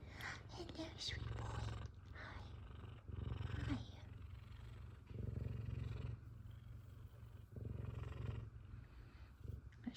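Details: Pet F2 Savannah cat, a male, purring contentedly as his owner greets him after a day away. A loud, deep, pulsing purr swells in long bursts with pauses, over the owner's affectionate speech.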